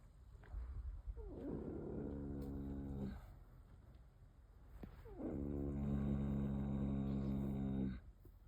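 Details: Female Rocky Mountain Horse snoring loudly while asleep: two long, rough, droning breaths of about three and a half seconds each, deep and buzzy with a layered tone, separated by a quieter rasping pause.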